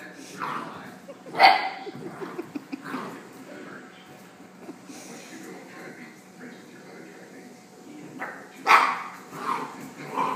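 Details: Female Rhodesian Ridgeback puppy Ryder, playing with an antler and trying to keep it contained, gives two loud, sharp barks about seven seconds apart, with softer grumbling noises and faint human voices in between.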